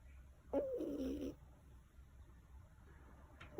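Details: Black cat born with blocked nasal passages snores while asleep, one rough, wavering nasal snort lasting under a second, then a pause and the start of the next snore.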